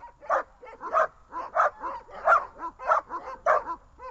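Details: Tethered dogs Glemmy, Fela and Rey bark sharply and repeatedly, loud high yelps arriving roughly every half second, each bark bright and ringing, with quieter yips between them.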